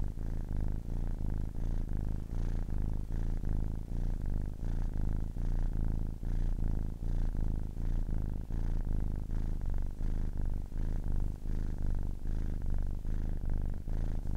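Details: Steady, rhythmic purring of a 10-week-old kitten over a long stretch: a low vibrating drone punctuated by short breath breaks roughly twice per second-and-a-half, very even and uninterrupted.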